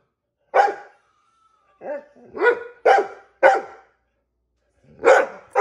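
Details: Female dog asking for a treat, indoors: six harsh barks in uneven clusters, one trailing into a softer, lower woof, separated by short silences.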